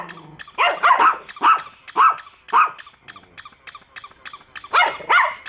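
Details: Two pet dogs bark repeatedly at a toy dog during their first meeting. Sharp, harsh barks come in bursts of three to four, then a short pause and a final double bark.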